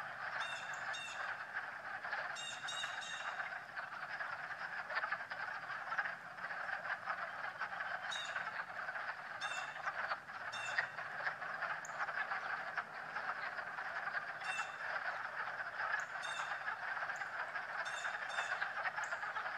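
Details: Frogs croaking while swimming on a March day: a dense, continuous trilling chorus of many callers, steady throughout, with sharp clicking pulses breaking through every few seconds.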